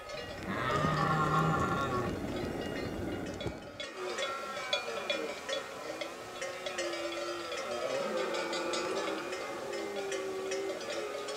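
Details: Red deer stag bellowing during the late-September rut in the Pyrenees mountains, amid summer pastures: a loud, low, harmonic roar of about three seconds, then cowbells from grazing cattle and horses jingling steadily throughout.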